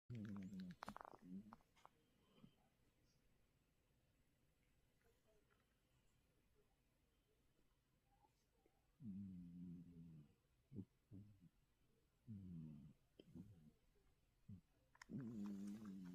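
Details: Oryong, a mackerel tabby cat, snoring loudly indoors: low, buzzy harmonic snore bursts at the start, then a long near-silent stretch before several more rumbling snores near the end.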